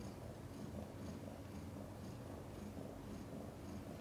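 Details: Purring of mother cat Chan while delivering five kittens after a difficult labor, a deep rhythmic pulsing throb repeating several times a second, low and even throughout.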